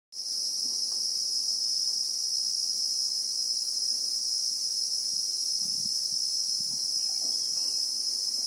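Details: Christmas beetles (Anoplognathus) in South African bushveld, recorded in real time: a steady, unbroken high-pitched shrill drone fills the clip, with soft low rustling and faint background murmurs underneath.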